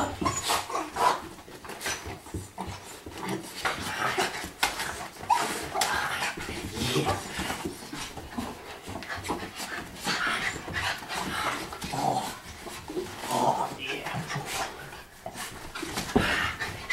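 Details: Excited miniature schnauzers, grey Tucker and black Abby, pant rapidly and let out scattered thin whimpers while greeting their owner home from deployment in northern Afghanistan, with a man's voice and household rustling throughout.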